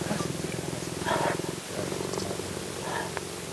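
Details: Cheetah in Zambia, near Livingstone at Mukuni Village, purring while being petted in hot African weather; purring signals it is relaxed and content. Low, steady, pulsing rumble runs throughout, with brief human voices faintly over it.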